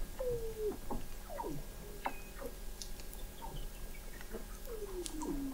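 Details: Weddell seals under thick Antarctic sea ice in McMurdo Sound, recorded November 2017 by a hydrophone observatory 21 m below the ice: gliding descending whistles and short downward chirps overlap, with clicking patter beneath and a long falling trill at the end.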